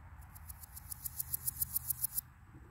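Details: Male Rocky Mountain sprinkled locust singing: a series of about fifteen soft, very high ticking pulses that grow louder, spaced evenly about seven per second over two seconds, over low background rumble.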